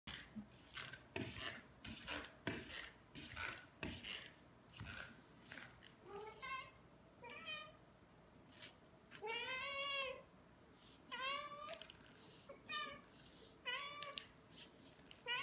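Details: Two indoor Ragdoll cats, aged two years eight months and two years four months, eating Ciao Churu treats; several short rising-falling meows with bright harmonics around the middle and end, among clicking, licking and rustling noises.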